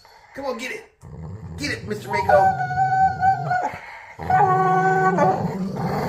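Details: Dog playing tug, producing odd noises: rough growling mixed with drawn-out whiny, howl-like tones in two long bursts, with brief human-like voice sounds near the start.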